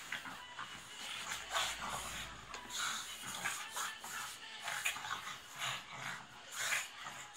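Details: Pugs in playful fighting, giving harsh snorting and wheezing bursts in irregular runs, with short higher whimper-like notes between breaths and scuffling noise throughout.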